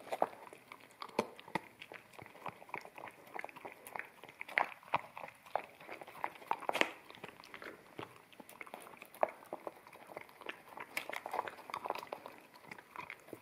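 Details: Akita puppy feeding on wet kibble from a bamboo plate, recorded in stereo with a ZS100 camera; sticky chomping and licking sounds run throughout, punctuated by several loud crunchy bites and taps on the plate.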